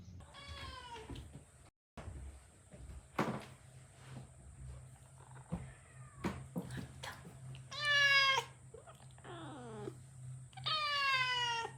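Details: Kitten, a one-year-four-month-old male, indoors and angry at its mother cat after being left out of a trial stay, calling with loud falling meows, several spaced several seconds apart, amid knocks and rustling.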